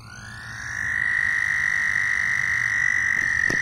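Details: Loud frogs giving a sustained, steady high-pitched trill that swells in over the first second and then holds an even pitch to the end, with a faint low rumble beneath.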